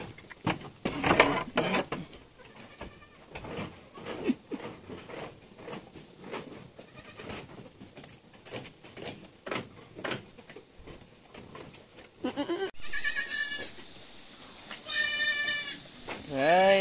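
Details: Anglo-Nubian goats during a birth at a farm in San Carlos City, Negros Occidental, Philippines, where seven kids were born in one day; soft clicks and rustling, then high, wavering bleats near the end, one sweeping upward.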